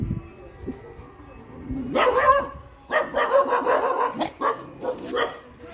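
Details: Dog barking in a loud burst of sharp, harmonic barks from about two seconds in, then a run of repeated barks and yips every half second or so, with faint speech in the background.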